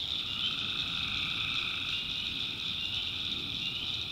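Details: Tree frogs calling at night in a backwoods swamp in North Carolina: a dense, unbroken high trilling chorus, with a steady lower band of calling beneath and no pauses over four seconds.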